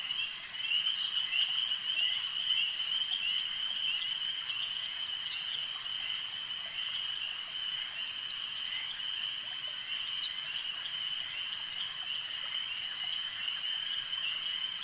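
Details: Frogs at a lake keep up a steady, ringing high trill from start to finish, many voices merged into one even band, slightly louder in the first seconds, faint clicks above.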